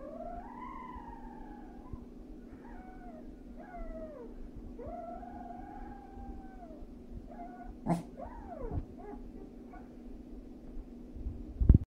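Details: A corgi, tilting its head, gives a run of high, wavering whines that arch up and fall away.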